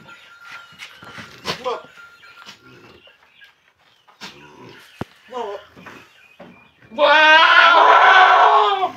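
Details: Young red Boer goat mated with a young red-headed Javanese doe on a village farm in Tugurante, Blitar; after quiet talk and a clap, one long, loud, strained and wavering bleat fills the last two seconds.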